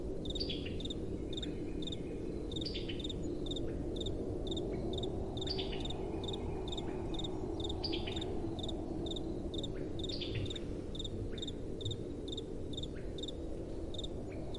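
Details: A nighttime cricket chorus of sharp, repetitive high chirps, with occasional short trills from other insects early on, set against a continuous soft wind.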